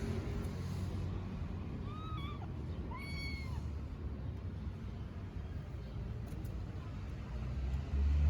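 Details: Stray kittens in Istanbul calling for their mother: two short, high, bent meows about a second apart, then quiet, with constant low traffic hum underneath.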